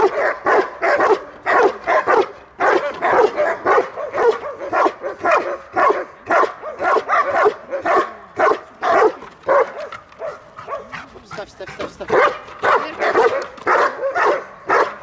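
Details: Protection-trained Belgian Malinois defending its owner at a dog-training session in Odesa's Dyukovsky Park, Ukraine; a long, insistent run of sharp barks, roughly two per second, steady and forceful throughout.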